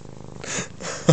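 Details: Female F2 Savannah cat, about nine months old, indoors, talkative and face rubbing while crying for attention; a soft low murmur gives way to a brief, sharp, harmonic chirp-like meow at the end.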